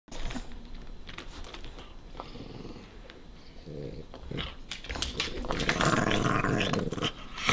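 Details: Small dog guarding his favorite bone from a playful puppy: low rumbling growls building toward the end, mixed with scuffling and indoor room noise.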